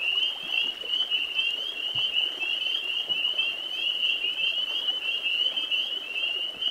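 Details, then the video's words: Spring peepers in full chorus in spring: shrill, rapid peeps blur into a constant high jingling, with a few soft low thumps underneath. "Spring Peepers"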